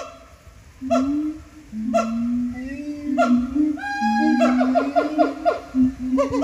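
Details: Captive siamangs singing at Japan Monkey Center, throat sacs amplifying their calls; long sustained low booming tones overlaid with a rising wail, then rapid rhythmic barking notes.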